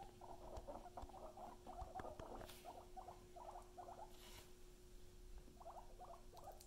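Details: Domestic guinea pig giving bursts of short, clipped chirping notes in quick groups, then a pause before a few more; a steady low hum and soft rustling hiss in the background.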